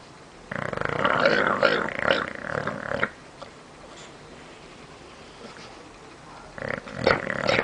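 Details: Michu, a sleeping bulldog, lets out a long gravelly, vibrating snore of about two and a half seconds, then quiet, then another raspy snore begins near the end.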